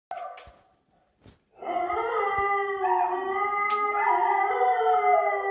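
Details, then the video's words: Vizsla and a mixed-breed dog indoors howling in response to an unknown dog barking outside; a few faint knocks, then long sustained wavering howls from overlapping voices, steady pitch with slight bends. "Vizsla and Supermutt howling"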